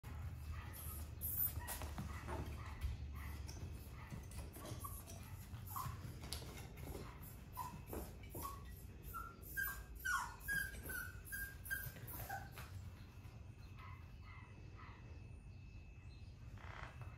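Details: Male Cavapoo puppy making quiet, high whimpers and squeaky yips, short and irregular, scattered through the recording among rustling and clicking handling noises.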